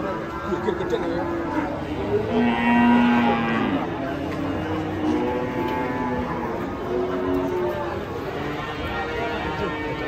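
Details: Raging cattle drawing a crowd of watching residents: one long, low, harmonic moo holds steady for about a second and a half before sliding down, set against constant crowd chatter and voices.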